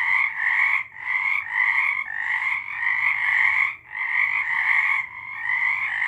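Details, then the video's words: Frog chorus recorded in March 2023, many frogs calling together in rapid pulsed trills that form steady bands, broken by short dips just before one, two, four and five seconds. "Frogs singing"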